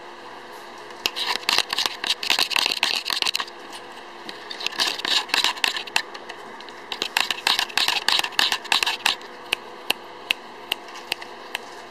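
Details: Indoor clicking, rustling and shuffling sounds in bursts, like handling objects or a camera, with a faint low hum and no animal voice.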